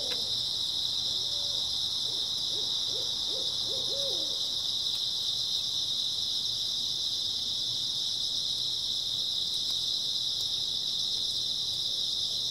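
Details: Early autumn night chorus of grass insects: continuous shrill, even buzzing held at one high pitch throughout, with a brief burst of low wavering trilled notes near the start, then only the insects.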